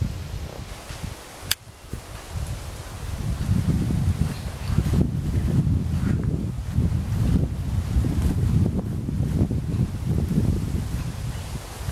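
Steady low wind buffets the microphone, with rustling and one sharp click early on; no animal calls can be picked out.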